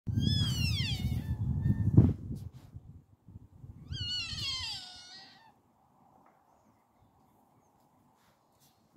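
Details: Sika deer (Cervus nippon), call.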